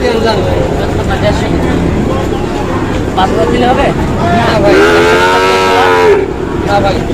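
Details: Sahiwal cattle at a wet cattle market in Manikganj, Bangladesh, in the rain during Eid. Bargaining voices and background crowd hum fill most of the recording until a single moo, about one and a half seconds long, breaks through near the end.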